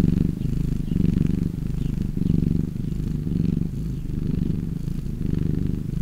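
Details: A relaxed cat purring, a deep continuous rumble with a slight rhythmic swell and fade as it breathes in and out, steady and close throughout.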